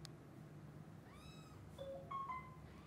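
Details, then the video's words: Young kittens pleading with their mom cat to go and play outside after waking: a run of thin, tonal mews that start gliding and end in short, higher, overlapping cries. "Kittens asks Mom cat to play outside as soon as they wake up."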